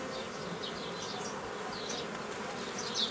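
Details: Dense drone of honey bees during old-style formation of nucleus colonies from a forager swarm, 15 May 2018; an even, unbroken buzz while small birds twitter in quick high rising chirps throughout.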